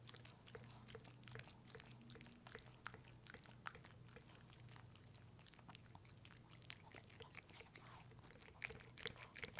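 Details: Pepe the dog works through peanut butter with dense sticky licking and chewing clicks, uneven in spacing and growing louder near the end, with a soft constant low hum underneath.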